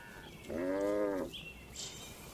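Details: Cattle in a calm farm barn, a single short steady moo lasting under a second, followed by faint higher-pitched background sounds.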